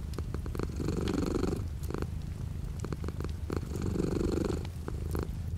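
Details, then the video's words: Domestic cat purring with light rain outside the window: a steady low rumbling purr that swells and fades in long breathing phases about every two seconds, over a soft continuous hiss of rain. "The sound of a cat purring with light rain outside the window."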